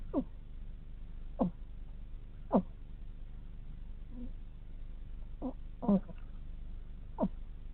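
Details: A hedgehog snores in its sleep, giving distinct squeaky snorts that drop sharply in pitch, spaced roughly one to one and a half seconds apart, over a quiet low rumble.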